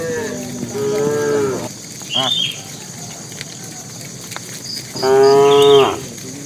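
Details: Bull among tame cattle walking to the pen, calling to the cows: two loud, sustained moos, one at the start and one near the end, separated by quieter grunts, with a constant insect trill behind.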